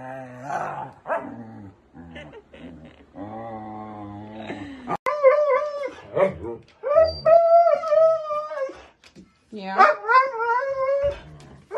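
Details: Pet Siberian Husky vocalizing in a compilation of talking huskies: wavering, drawn-out howl-like moans and whines with rising and falling tones, some short yips, and a person's voice mixed in.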